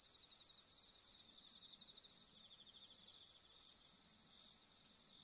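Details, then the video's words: A bell cricket sings a bright, high, ringing trill that pulses steadily without a break on a long autumn night around the harvest moon. "【自然音】 秋～十五夜～鈴虫"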